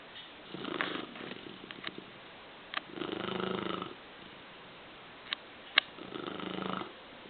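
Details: A female dog snores in slow rhythmic rasps, three rough buzzing breaths spaced roughly two and a half seconds apart, with a few faint clicks and taps in between.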